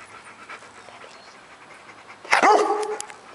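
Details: A Rottweiler "talks": a short, loud, grumbling vocal burst that bends downward after a quiet stretch.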